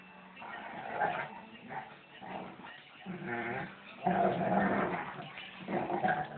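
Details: A female German Shepherd and a younger male dog at rough play as she asserts dominance; throaty growls with whiny, tonal edges arrive in short pulsing bursts, the loudest stretch in the second half.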